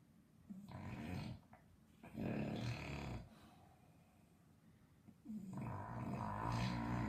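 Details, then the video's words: An English Bulldog, very sleepy, snores loudly, each rough, rumbling breath rising and fading in turn. "English bulldog snoring loud"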